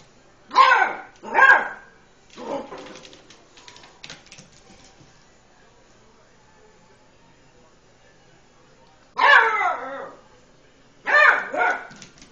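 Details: Eight-week-old Beagle puppy named Lucy, cautiously playing with a tom cat, gives sharp high barks: two quick ones near the start, a softer one, a long quiet gap, then two more barks near the end.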